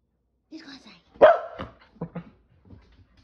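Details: Pet Keeshond, excited to go play outside, gives one loud abrupt bark between a person's brief spoken words. Softer short vocal sounds and speech follow.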